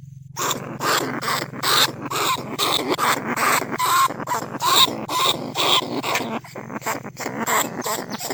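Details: A caged lesser bandicoot rat from paddy fields at Nong Khu Phai, Thailand, calls to lure other rats out of their burrows. Dense, raspy squealing runs almost nonstop in rapid irregular bursts, about two per second.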